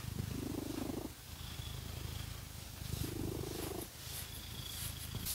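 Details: A cat scratched with fake nails gives a strong, low, rumbling purr that surges twice into louder droning phrases about three seconds apart, with faint scratching in the background.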